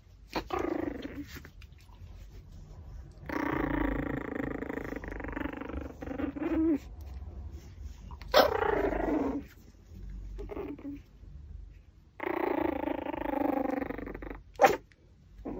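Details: Whiny growls from a Pomeranian chewing raw pork backbone, drawn-out harmonic moans lasting one to three seconds each, separated by quiet gaps filled with soft gnawing and crunching.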